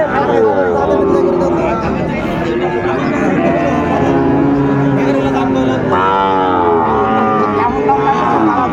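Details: Cattle at a busy market in Chattogram, Bangladesh, 17 January 2025, with Sahiwal bull calves on sale; drawn-out low moos, one sliding upward near the end, sound over steady human talk.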